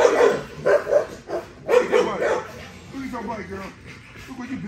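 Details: Short, loud barks from Nyla, a female XL American Bully with ghost tri colouring, exercising during bite play; several quick harsh barks at the start, then softer wavering whines with a person talking.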